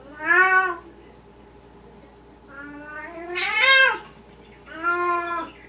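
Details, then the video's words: Maine Coon and Russian Siberian kittens calling: three drawn-out mews, the middle one rising into a loud, bright, strained cry, indoors with a faint steady hum behind. "Maine Coon and Russian siberian kitten"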